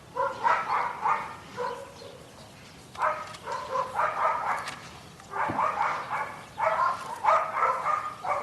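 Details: Belgian Malinois trained in guard and protection work, filmed at a training kennel in Zumpango, State of Mexico. Harsh, ringing barks come in rapid bursts of several, separated by short pauses, with faint outdoor background.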